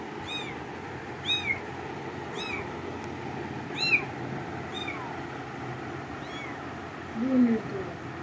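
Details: Repeated high, curving cat meows, six or so spaced about a second apart and fading toward the end, followed by a lower voiced sound near the close.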